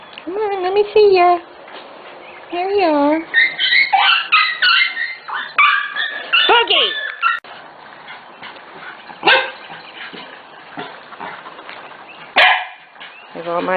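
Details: Litter of Corgi puppies almost six weeks old: wavering, rising-and-falling whines and howl-like cries in the first seconds, followed by scattered sharp yips and a woman's voice in the background.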